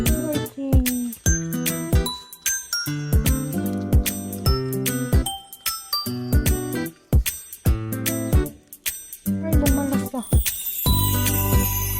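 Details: Chiming music with bell-like tinkling notes plays throughout, with faint speech in a small room.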